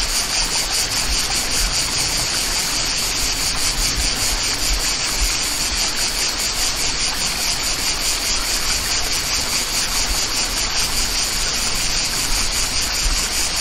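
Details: Cicadas singing in the countryside by a waterfall: a dense, steady rasping buzz high in pitch, pulsing roughly twice a second without pause, over a constant rush of running water.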